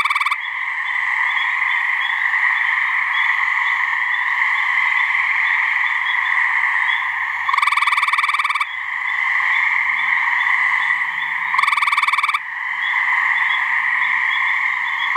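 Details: Mating call of gray treefrogs (Hyla versicolor), a couple of frogs calling in a New Hampshire swamp. Two loud, rapid, buzzy pulsed trills, each about a second long and four seconds apart, over a continuous droning frog chorus.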